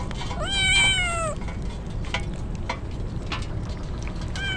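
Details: Wet stray kitten crying in typhoon rain: a loud, sustained meow that gently falls in pitch, then drips and rain noise, with another meow starting at the very end.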